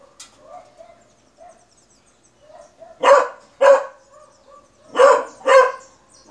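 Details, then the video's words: Beagle barking: soft whining murmurs first, then two pairs of loud, sharp barks in quick succession, each pair about half a second apart, in a quiet indoor setting. "CONHEÇA O LATIDO DO BEAGLE"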